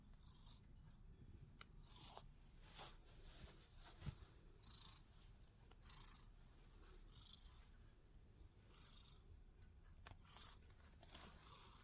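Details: Lazy sphynx cat purring; a faint, steady low rumble runs throughout, with soft rustling and small clicks above it.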